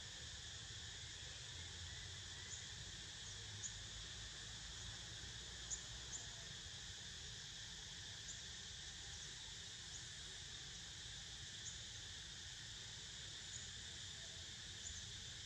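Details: Cicada chorus behind a sleeping pet: a softer, even, high-pitched droning hum that never breaks, with a few faint tiny clicks scattered across it.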